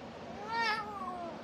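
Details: Domestic female cat, described as feisty and giving playful love bites when petted indoors, gives one drawn-out meow that rises then falls slowly, clear harmonic tone lasting about a second, with a woman's voice talking to her just before and after.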